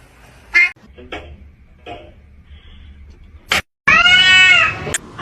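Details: A domestic cat, in a funny cats compilation about cats fighting, lets out a loud, drawn-out harmonic yowl lasting about a second that arches up and then falls. Short bursts of human speech and clicks come before it in a small room.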